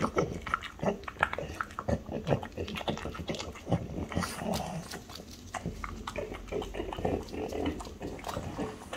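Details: Mother and daughter French Bulldogs, Ume and Roku, around a treat of chicken breast, making rapid, low, pig-like snorting grunts mixed with a person talking nearby.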